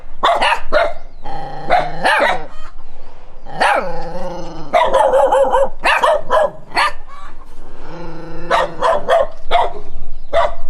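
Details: A dog runs while barking at a stranger, giving loud, harsh, rapid, repeated barks.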